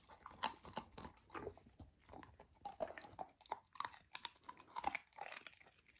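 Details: Golden retriever puppy on a raw diet eating raw lamb for the first time, indoors in a small room; wet chewing, biting and crunching, irregular bursts of chomping clicks and smacking every fraction of a second.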